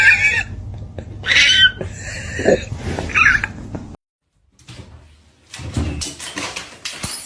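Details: Domestic cat giving short, rising, harmonic meows, two brief calls about a second apart, amid indoor room noise and a silent gap before later clattering sounds.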